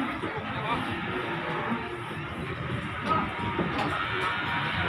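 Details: Loud music over steady talking and crowd noise at a busy cattle market, with no animal voices standing out.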